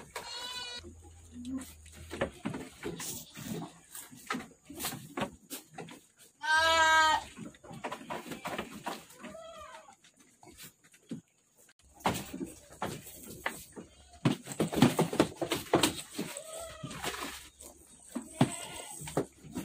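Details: Goats on a goat farm bleating in several loud, wavering harmonic cries, the strongest near the middle, with shorter bleats later, amid clattering farm noises and scattered background talk.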